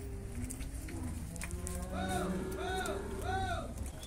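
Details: Bulls fighting in the mud at a cattle fair in Brazil, with deep low mooing and a series of arched tonal bellows repeated about every 0.7 seconds in the second half, over crowd chatter and a man's voice.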